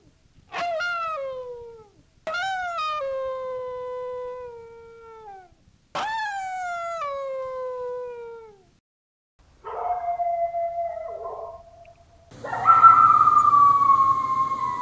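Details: Yorkshire Terrier howling: three long, tonal howls that start high and slide downward, each lasting two to three seconds. They are followed by a quieter wavering howl and a louder, rising, strained final howl.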